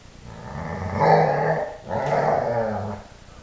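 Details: Happy yodelling bursts from a three-year-old Dobermann, one of four dogs at home: two sustained, throaty, growl-tinged harmonic wails, each under a second, separated by a short break.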